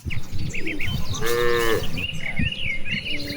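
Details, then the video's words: Cattle grazing in a wide rice field on an afternoon under a clear blue sky, part of a large herd calling back and forth. One short, fairly high, smooth moo stands out over low rumbling, with bird chirps around it. "Vidio suara puluhan sapi lucu"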